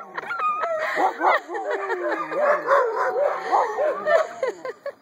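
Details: Eight-week-old puppies whining and yelping at once, a busy tangle of short, bending, upward-curving cries with one lower, falling howl in the middle.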